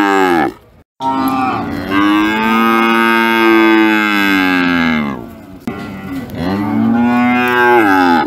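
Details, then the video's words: Sacrificial cattle, described as big and raging, mooing: long loud drawn-out lows with rich harmonics, rising then falling, one brief gap near the start and a second call after a short break. "Sapi Moo"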